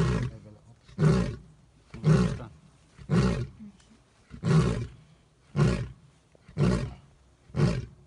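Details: A full-maned lion about 30 metres away roars intensely, a run of deep, rasping grunts that boom out about once a second, loud enough to feel the vibrations.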